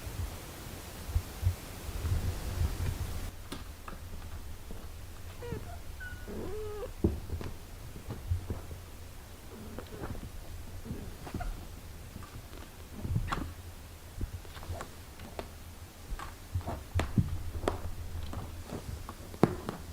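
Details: Mother cat indoors caring for her six-day-old kittens, a steady low rumbling purr-like hum underneath, broken by a few short high mews around the middle and scattered soft rustling and bumps.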